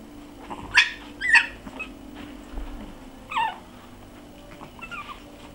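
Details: Six-week-old puppies Bekky and Barik, recorded 14.01.13, give a few sharp high-pitched yelps and squeaks, two close together near the start and another after a pause, over a steady low indoor hum.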